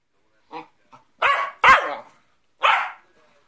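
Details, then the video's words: Cockapoo answering back while being told off and told to lie down and sleep: a few soft whiny grunts, then two loud harsh barks in quick succession and a third a second later. "Getting Told Off by the CockaPoo"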